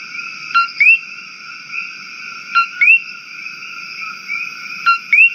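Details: Invasive Coqui frog from Maui calling three times at roughly two-second intervals. Each call is a clipped low note that jumps into a bright, upward-sweeping whistle. A constant high background drone is heard.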